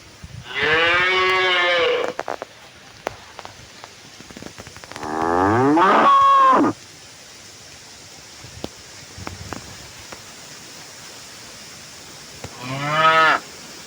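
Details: Tame village cattle from a herd returning to their pen: three drawn-out, harmonic-rich moos, the first about one and a half seconds long, a second rising then falling, a shorter third near the end, with quiet pauses between.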